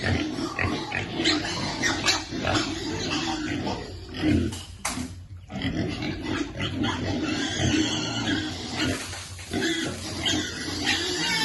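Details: Piglet being fed, waiting for its food; rough repeated grunts and snorts come in quick irregular bursts, with a brief quieter gap midway and constant background noise.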